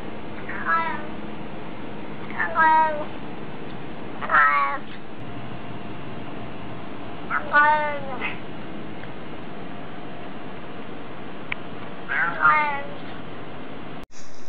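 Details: Domestic cat answering hello with five short, sharply falling meows spaced roughly two seconds apart over a steady low hum, ending with an abrupt cut.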